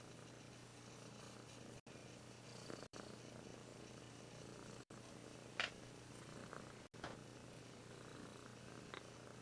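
A Russian Blue cat purrs steadily, a low continuous rumble with a brief click or two.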